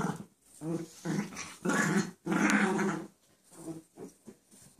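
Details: A pet dog making playful growling noises while playing with another dog that stays lying down so it will not fall on her; throaty growl bursts of about half a second, then a longer rumbling growl, in a small room.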